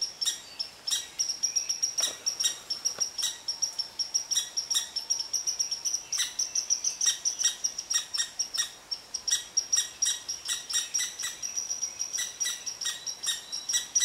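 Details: Angry red squirrel scolding a cottontail rabbit that settled beneath its favourite tree, giving rapid, shrill, squeaky barks repeated in an unbroken stream, each note short and bright, some faintly doubled.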